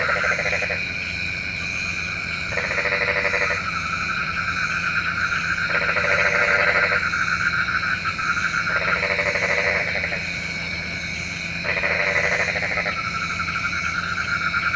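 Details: Night frog chorus, said to call rain: long bouts of fast rattling croaks, each lasting one to two seconds, alternating with short pauses against a constant high-pitched ringing chorus.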